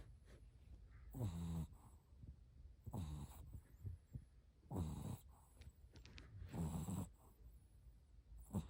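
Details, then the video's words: Sleeping Shih Tzu puppy snoring; low rumbling, rattly breaths about every two seconds, four main snores with softer breathing between. "Snoring 😴 time"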